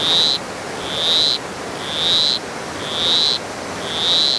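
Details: Granular poison frog (Oophaga granulifera) croaking in the low mountains on Costa Rica's south Pacific side; buzzy, high-pitched calls about half a second long, slightly rising, repeated roughly once per second over a steady hiss of background noise.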